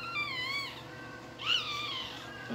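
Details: Newborn Shih Tzu puppy crying: two thin, high, wavering squeals, the first drawn out and wobbling, the second rising sharply then sliding down, over a low steady indoor hum.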